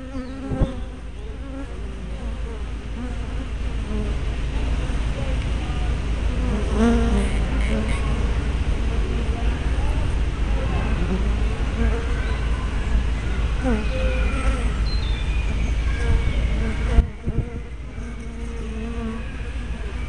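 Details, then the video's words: Steady droning of many honey bees at the entrance of a hive, captured by a small spy camera; dense overlapping buzz with individual bees swooping past in brief pitch bends, plus a low rumble throughout. "Bee Hives - Entrance Observation"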